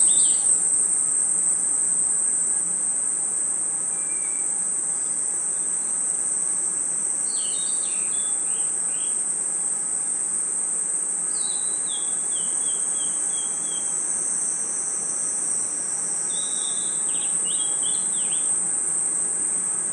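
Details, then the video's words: Crickets chirping at night in a forest: a steady, unbroken high-pitched trill runs throughout. Short descending chirps from another caller break in around the middle and end, over a soft noisy background. "Crickets & Insects Chirping Sounds"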